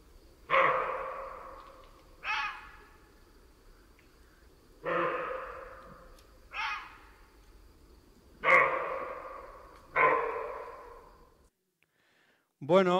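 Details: Roe deer barking, played in a talk on the soundscapes of La Mancha: six short, hoarse, broadband barks spaced about one to two and a half seconds apart, with a quiet background.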